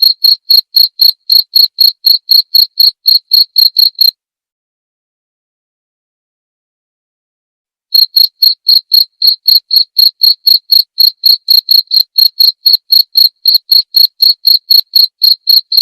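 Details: Cricket chirps recorded as masteran training audio for songbirds and as therapy sound: bright, high pulsed chirps at about four per second, a silent break of roughly four seconds in the middle, then the steady chirping resumes.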